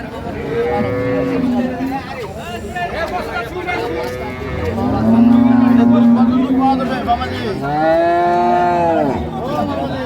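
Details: Jersey dairy cows with calves at Ambari cattle market, Bangladesh: repeated long harmonic moos from several animals, a low droning one mid-way and a rising, arching call near the end, over steady crowd chatter.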